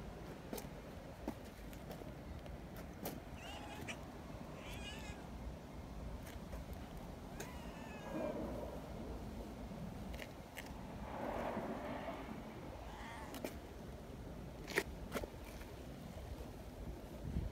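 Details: Kittens among friendly neighbourhood community cats, playing near a milk-tea-coloured cat, give several short, faint mews spread across the stretch, partly buried under constant low outdoor rumble and occasional clicks.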